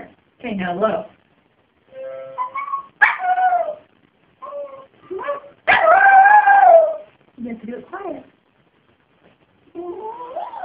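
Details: Pet dog howling and singing along while a harmonica is played; wavering, sliding howls in short bursts separated by pauses, with a longer rising-and-falling howl midway and mixed harmonica tones.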